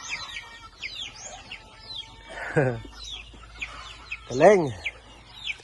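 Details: Newborn goat kids, a pair of one male and one female, on a farm; two loud, wavering, harmonic bleats about two seconds apart, over steady high chirping of chicks or small birds.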